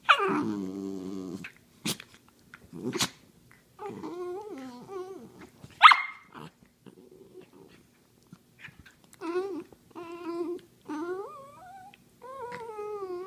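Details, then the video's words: Dachshunds wrestling on a couch indoors in play, giving short bursts of growling and nasal, wavering whines with a few sharp yips, separated by brief silences. "Couch wrestling -wiener dog style"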